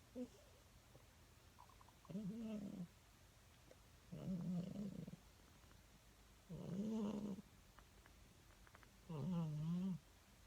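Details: Cat snoring while dreaming in bed: four slow, low buzzy snores about every two and a half seconds, each under a second long with a wavering, slightly tonal pitch, separated by quiet breathing pauses.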